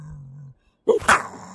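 Gray fox giving a quick two-part bark: a short yelp, then a louder, harsh raspy burst.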